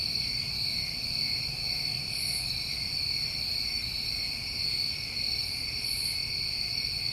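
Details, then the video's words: Continuous insect trilling from New England crickets in summertime. The high, level buzz holds steady throughout, with a couple of short faint higher hisses and quiet low background noise. "Over 1 Hour Of Tinnitus Masking With Crickets"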